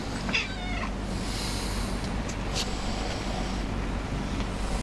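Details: A shy new pet cat, which comes out meowing for cuddles but dislikes being carried, gives one short, bending meow in the first second, followed by a steady low hum and soft rustling handling noise.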